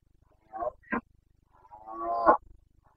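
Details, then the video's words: Carpathian red deer stag roaring (boncănit) during the rut, 29 September 2022, in the mountain forests of Bucovina: two short hoarse grunts, then a longer rising harmonic bellow that ends in a sharp burst, over a quiet low hum. "Boncănit / Carpathian stag Breeding season"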